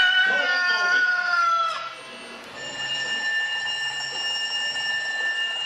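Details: A Siberian Husky puppy gives a wavering, high whine that rises and falls, then a steady tone follows; the puppy's laugh-like sound. Siberian Husky.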